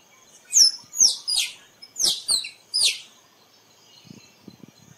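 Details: Squirrel calls, played to lure squirrels for photography: six loud, high descending squeaky sweeps in an irregular series, some doubled, followed by faint low clicking toward the end.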